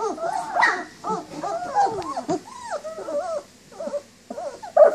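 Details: Nineteen-day-old German Shepherd puppies, up and moving around indoors, whining for their mother: overlapping thin, arching whimpers that rise and fall, with soft squeaks and brief gaps between bursts.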